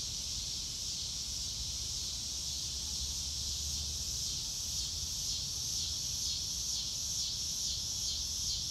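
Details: Many crickets on a clear day under a blue sky, heard in real time with no music: a continuous shrill, finely pulsed chorus, even in loudness, over a quiet low background hum.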